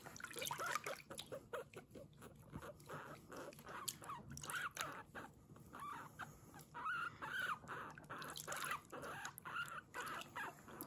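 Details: Pet guinea pig Kurumi at bath time, giving "puipui" cries while being washed; brief rising-falling squeaks come in scattered bursts over steady splashing, dripping and scrubbing sounds, with no music.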